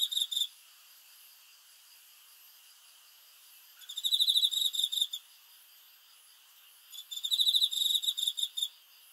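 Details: Cricket calling at night with high, rapidly pulsed trill bursts about a second long, three heard with gaps of roughly three seconds between them.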